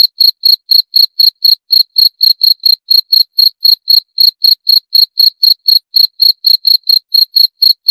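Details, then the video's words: Continuous cricket call: a long unbroken series of sharp, shrill chirps repeating about four times a second, clean and isolated with nothing else audible. "7 Menit Suara Jangkrik - 7 Minutes Cricket Sound Effect"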